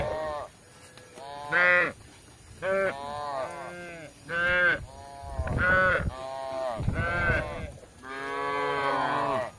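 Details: Cattle roaming a kampung in search of grass call again and again, about seven short overlapping moos over ten seconds, irregularly spaced, some higher and bleating in tone, suggesting several animals calling together.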